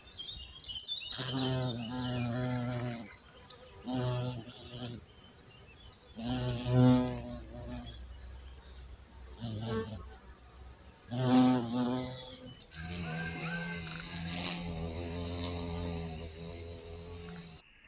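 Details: Xylocopa violacea recorded in Mazovia, Poland, where it was declared extinct in 2002 and has since returned. Deep, humming buzzes come in uneven bursts of one to two seconds, rising and fading as the bee moves, ending in a longer steady drone.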